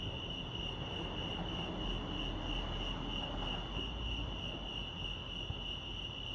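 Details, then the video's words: At Lake Arrowhead, California, crickets keep up a constant high-pitched pulsing trill, partly masked by heavier low-frequency rumble and a few soft thumps. "Serenity sounds crickets chirping lake arrowhead"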